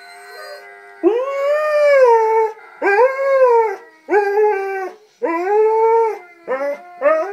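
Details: A male pet Alaskan Malamute howls, "singing" along to a video, in a series of drawn-out, arching, wavering notes with brief pauses between them.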